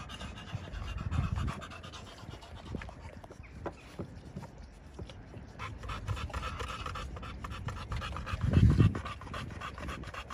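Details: Pocket American Bully males from a Romanian kennel, panting in quick, irregular soft breaths, roughly three to four per second, with low rumbling handling noise throughout and a louder scuffing burst near the end.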